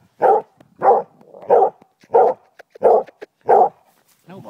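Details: Dog, a female pet, barks repeatedly while playing fetch: six punchy barks in steady succession about 0.65 seconds apart, with short clicks and the owner's voice at the end.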